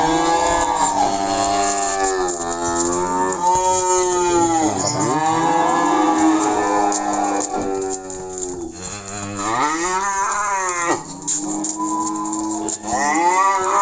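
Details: Simmental and Limousin cattle on a shipment to Magelang, Indonesia, moo repeatedly in long, loud lowing calls, each swelling and arching in pitch before falling away, with brief gaps between the bellows.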